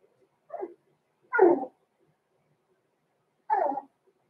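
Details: Cavalier King Charles Spaniel puppies of blenheim colouring, Roman and Blue, aged six weeks, in a home puppy pen; three short, high, yappy barks, the last arriving after a two-second pause, with a quiet background.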